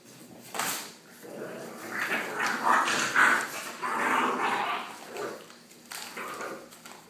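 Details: Blue American Pit Bull Terrier puppies, seven weeks old, playing indoors with their mother in a litter of eleven; muffled yips and low growly whines rise and fall through the middle seconds, mixed with scuffling and thumping of rough play.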